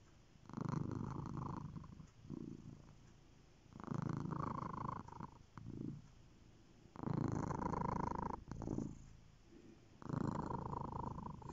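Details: Pet cat purring in steady cycles: each rumbling phase lasts one to two seconds, alternating louder inhale and exhale bursts separated by short silences, with a faint tonal buzz riding over the low throb.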